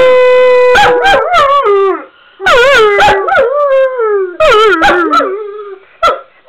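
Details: Weimaraner; howl; separation anxiety when left alone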